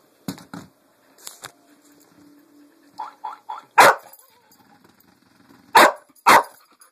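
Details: The pet dog Lucy reacts to a Pink Pig Bumble Ball toy. Scattered short yips and soft barks build to three loud, sharp barks, the last two close together.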